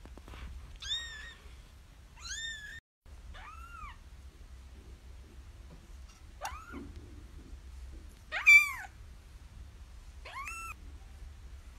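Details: Tiny kittens meowing in a quiet room: about seven separate high, arched mews, some short and bright, others drawn out and falling. One louder, sharper cry stands out near the end, with a faint low hum beneath.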